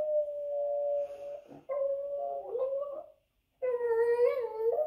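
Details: Dog howling on a television while a Boston terrier watches indoors; long, steady, mid-pitched howls that waver slightly, a short pause, then a third wobbling howl, with no other clear sounds.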